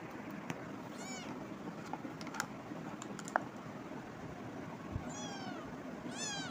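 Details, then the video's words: Cat meowing: two separate high, arching meows with stacked harmonics near one second and five seconds, plus a third starting at the end, over steady background hiss with scattered clicks and taps. "cat meowing"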